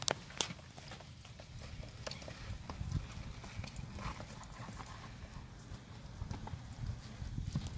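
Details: Scout, an 11-year-old American Paint Horse gelding, red sorrel and 14 hands, a family pleasure and trail horse, moves with sharp, irregular hoof knocks, several louder strikes, over a steady low outdoor rumble.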